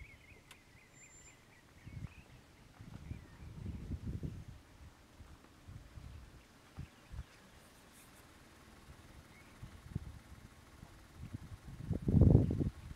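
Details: Splitnose, leader of the Gomondwane male lion coalition, roaring for his brothers in their hippo pools territory, Kruger National Park; low rumbling bursts early on, then a series of deep grunts building to a loud final burst.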